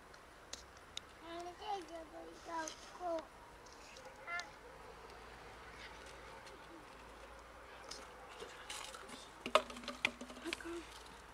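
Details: A huge cat colony at a dumpster, where the cats live and feed, produces a run of repeated short meows in the first seconds, followed by quieter background noise and sharp knocking clicks toward the end.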